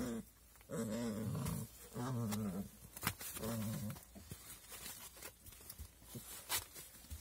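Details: Low, harmonic puppy growls in three bursts of roughly a second each. They are followed by scattered knocks, clatter and rustling noise.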